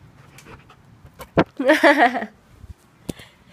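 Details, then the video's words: Siberian Husky, very upset after being shut out of the living room so its owners could nap; a short wavering, moaning whine-howl between sharp thuds and panting sounds. "Syd the Husky Throws a Tantrum"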